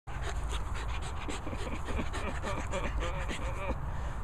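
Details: Corgi panting and needing a bath, rapid rhythmic breathy pulses running steadily through the clip, with a person's voice talking over the middle and end and a low background rumble.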